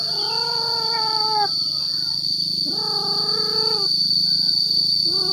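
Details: Male cat calling to attract females: two long, level, tonal meows, the second one starting with a rising slide, over a steady high electronic whine and low hum.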